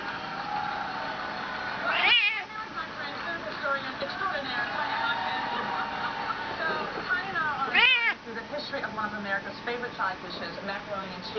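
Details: Bengal cat, talkative while being petted, gives two short, bright meows about six seconds apart, each quick and slightly descending, with continuous television narration and room murmur underneath.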